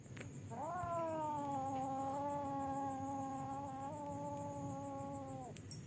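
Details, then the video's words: Kittens fighting on a roof at night: a single long, steady, harmonic yowl holding one low pitch for about five seconds, then cutting off, over a constant background hiss. "anak kucing gelut di genteng"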